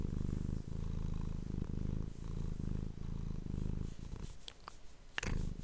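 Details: Domestic cat purring steadily into an ASMR microphone: continuous low vibrating rumble in regular breathing cycles, fading near the end where a few sharp clicks and taps are heard before the purr resumes.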